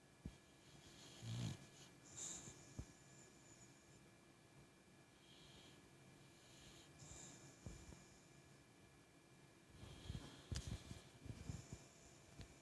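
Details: Sleeping boxer dog snoring while dreaming, with soft, rough breathing and a few louder snorting bursts near the start and again toward the end, over a faint steady hum.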